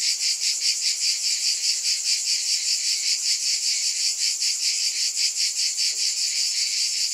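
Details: Cicadas in a steady, high-pitched buzzing chorus that pulses about two or three times per second, a dense shimmering drone with no other clear sounds.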